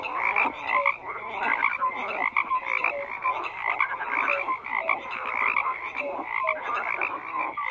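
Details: Many frogs croak together in a thick, unbroken chorus: raspy pulsed calls stacked over short whistled notes, busy and constant throughout, nothing else audible.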